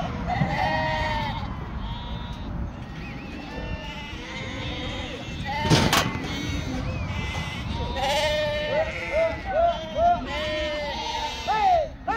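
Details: Sheep kept on a farm in northern Spain, several animals bleating over one another in wavering, nasal calls with rich harmonics, repeated every second or so, with people talking and a sharp clatter midway.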